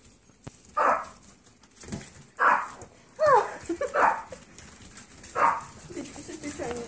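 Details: Yorkshire terrier foster puppies at one last playtime before leaving for new homes: scattered short, bright yips spaced about a second apart, with one rising-and-falling whine in the middle, indoors.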